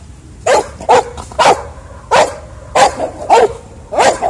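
A Beagle and a Pekingese give a run of short, sharp barks, some higher and yappier than others. The barks come in quick, uneven bursts with brief pauses between them.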